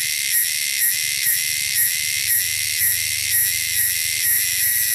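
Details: Wild cicadas from the wilderness give a loud, shrill, steady high buzz with stacked tones, swelling slightly in short pulses about twice a second throughout.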